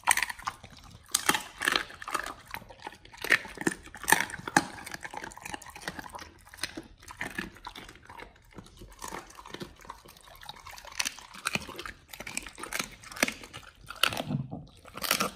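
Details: Raw-fed dogs chewing chicken breast and duck feet in a small indoor space; sharp, crackling bites and slurping smacks come in clusters every second or so, with brief pauses between mouthfuls.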